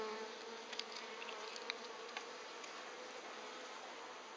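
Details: Dense, continuous buzz of Japanese honey bees, an even droning hum with faint scattered ticks.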